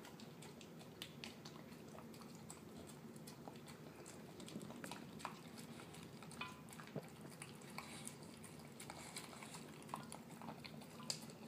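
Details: Terrier mix dog, male, eating his dinner of canned food mixed with kibble indoors; soft wet mushy chewing and smacking with scattered sharp clicks and taps, like tags or teeth against a bowl, in a quiet small room.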